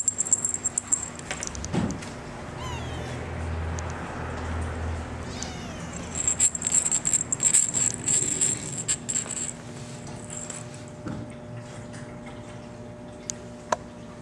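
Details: Male Maine Coon kitten, cameo mackerel tabby and white, born 17 July, gives thin wavering mews in the early seconds, amid rustling, soft thumps and high clicking noises.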